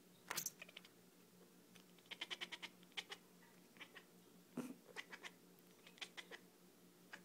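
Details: Beanie, a female cat, making her dolphin-like sounds on seeing lasers: rapid runs of short, high, clicky chirps in quick bursts, with pauses between the runs, over a steady low indoor hum.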